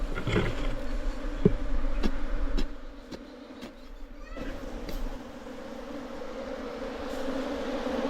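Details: Low humming of hill bees at a nest in an earthen hole, as a local honey collector transfers the wild colony into a box for beekeeping. The hum is softer and continuous beneath sharp knocks and handling clicks, swelling again toward the end.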